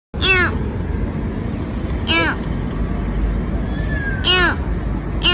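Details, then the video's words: Domestic cat giving short harmonic meows at about 0.3, 2.2 and 4.4 seconds, each rising then falling, over steady low rumbling background noise. "Funny Cat Sounds"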